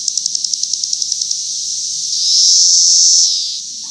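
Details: Cicada recorded in 2021: a run of rapid high pulses fades, then a loud, even, very high buzz swells for about a second and tapers off.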